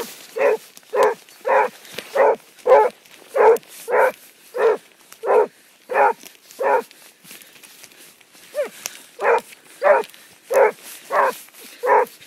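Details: Basset Hound on the track giving a steady run of loud, full barks, roughly one and a half per second, with a brief pause and a softer yelp near the two-thirds mark before the barking resumes.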